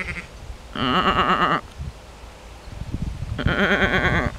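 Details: Dutch sheep in a shaded meadow along a ditch in the Alblasserwaard, replying to a person talking to them; two strong, tremulous bleats about two seconds apart with a faint call before them.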